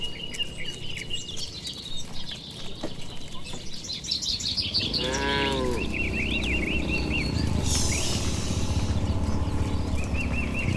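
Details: Dozens of tame, well-kept cattle walking slowly home to their shed on a warm late afternoon along a tree-lined village road. One drawn-out, rich moo rises midway, amid constant chirping birds and a steady low rumble.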